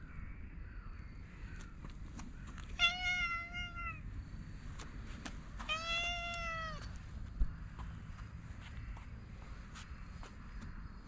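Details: Outdoor stray cat patted on its lower back utters two separate meows a few seconds apart, each a clear harmonic tone bending gently downward, amid low rumbling noise and scattered taps.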